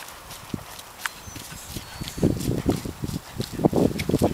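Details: Horse ridden in May 2011 on its first ride back after an anemia break, fussy with the bridle and naughty outside; dull hoof thuds start softly, then strike in a quick, regular, loud rhythm during the second half.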